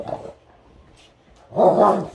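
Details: Great Dane playing with another dog indoors: a short low bark at the start, a quiet pause, then a loud rough harmonic bark-growl lasting about half a second near the end.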